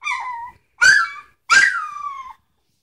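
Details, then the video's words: Puppies aged three weeks, a Sitka x Izzi litter: one drawn-out whine, then two loud yelps that slide into long falling whimpers, all high and plaintive, nothing else audible. "Sitka x Izzi puppies"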